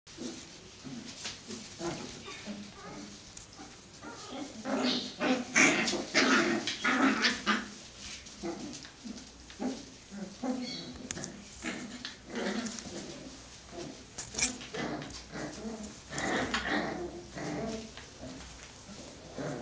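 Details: Five-week-old Cocker Spaniel puppies play-fighting indoors, giving a near-continuous run of short growls, yips and squeaky whines, several each second, with scuffling and pawing noises between them.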